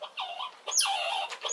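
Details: Red squirrel squeaking loudly while defending itself against an approaching rival at a nut feeding spot: two sharp, tonal squeals that sweep downward from very high to mid pitch, the second longer and wavering.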